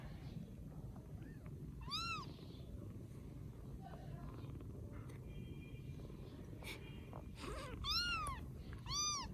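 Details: Rescued baby kittens in Vietnam mew repeatedly: clear, bright, arched cries recur every few seconds, with softer squeaks and small clicks between them over a constant low background hum.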